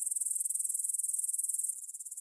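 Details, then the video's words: Grasshoppers stridulating in a meadow near the Svensky monastery, Bryansk, Russia, at 9 pm on 6 September 2020, recorded in stereo on a Tascam DR-44WL: a high, dry, rapidly pulsing chirr, steady, then softer after about one and a half seconds. "кузнечики на лугу – Grasshopper Sounds in the Field"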